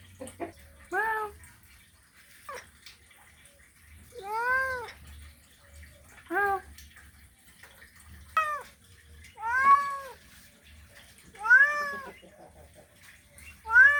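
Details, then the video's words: Mating call of a male cat seeking a female: a series of short, wavering meows, roughly every one to two seconds, some bending upward then dropping, in an otherwise quiet setting. "Male Cat Mating Call Sound Effect"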